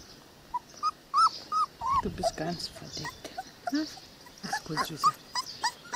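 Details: Cane Corso puppies, 22 days old, from a litter of Paula and Angelo: short, high, thin whimpers and squeaky whines come in scattered bursts, mixed with soft, affectionate German talk close by.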